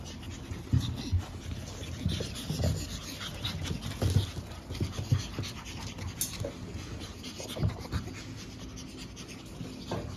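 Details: Energetic pug puppy siblings born April 17, five littermates nearly ready for new homes; rapid, rough panting and nasal snorting with irregular louder snuffles throughout, and occasional faint high squeaks.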